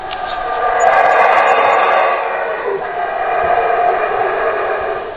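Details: Howler monkeys give a sustained, throaty roar that holds steady for several seconds, then dips and rises again. Faint high chirps are heard early on.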